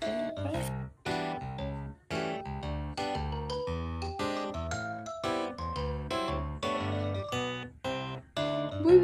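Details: Plucked acoustic guitar and piano music plays in steady phrases with brief pauses, and no animal voice can be heard.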